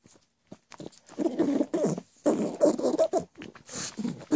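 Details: Goblin-sounding pet pug, noisy around the clock: throaty, wet snorting grunts repeated rapidly in uneven bursts, ending in a louder snort.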